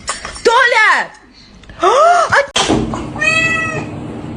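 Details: A domestic cat gives two loud, drawn-out meows, each rising then falling in pitch, about a second apart, followed by a brief higher tonal whine; people talk over and between the calls indoors.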